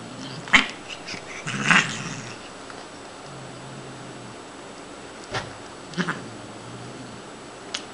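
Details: During a play session, Siamese cat Shiloh gives two brief rough cries close together, then quieter scattered clicks and taps follow in a still indoor room.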